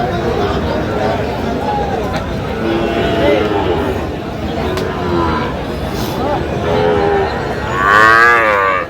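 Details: Sahiwal bull calf and other cattle in Nawabganj, Dinajpur district, Bangladesh, 23 August 2025: several short, muffled lows through background chatter, ending in one loud, bright, wavering bellow. Men exchange greetings just afterwards.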